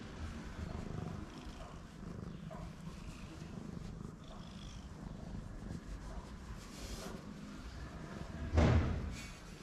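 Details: Purring from a tuxedo stray cat on a Moroccan street: a steady, low, rumbling drone running throughout, with soft rustling and a brief louder bump near the end.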